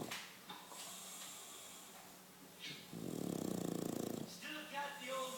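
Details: English Bulldog giving one coarse, fluttering snore lasting over a second after a quiet stretch, followed by brief faint voice-like sounds.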